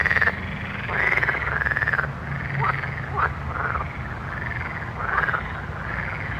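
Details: Night frog chorus: many frogs give arching, rasping croaks in quick overlapping bursts, some louder calls standing out, with a constant low rumble beneath.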